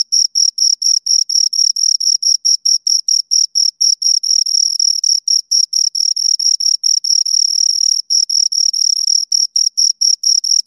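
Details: Two crickets stridulating, rapid shrill chirps that at times run together into a longer continuous trill before breaking back into evenly spaced pulses; a quiet background otherwise.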